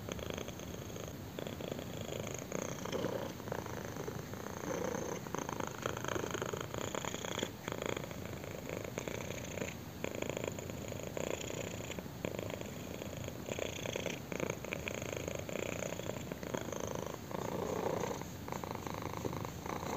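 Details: Purring kitten enjoying a chin scratch; continuous low rumble that rises and falls in gentle waves roughly every couple of seconds, with faint scratching texture and no other animals or voices.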